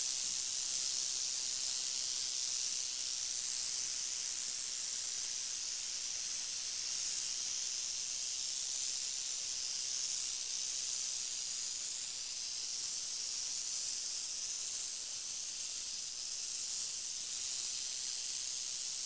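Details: Long, unbroken high hissing from a Crotalus oreganus rattlesnake, an even sizzling wash of sound that barely changes in strength from start to finish.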